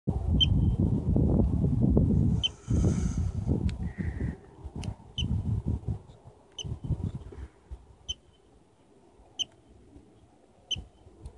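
A gopher gives sharp, high, bird-like chirps, one every second or so. Low wind rumble fills the first half.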